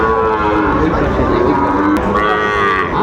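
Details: Bull cattle for sale at a Chattogram market, 17 August 2024: several long, droning moos layered over one another, then a sharp click and a rising call, with buyers' voices in the background.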